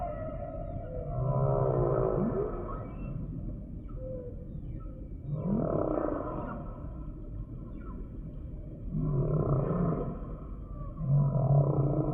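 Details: Humpback whale song: low, throaty moans alternate with wavering mid-pitched groans, arriving in bursts about every four seconds against a constant undersea rumble.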